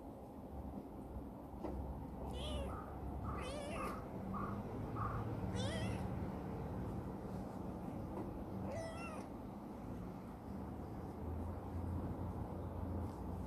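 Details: Chibikuro, a rescued former stray black female cat, now affectionate and living in a warehouse, gives four short, rising-then-falling meows spread across about thirteen seconds over a steady low hum.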